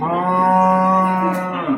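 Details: Cattle at a livestock market in Babat, Lamongan, East Java, on 29 September 2020, giving one steady, drawn-out moo with a low droning tone, slightly falling at the end; faint background voices.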